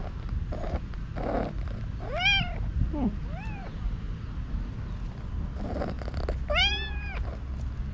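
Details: White tabby stray cat, female, very hungry and having missed her people, meowing loudly beside them: two strong, drawn-out arching meows and a softer short mew between them, over steady low background rumble.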